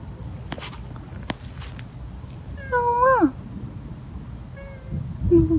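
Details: Stray cat crying insistently at night, encountered after work: a long wavering meow falling at its end, then a short faint meow and a low whining cry, over steady low background noise.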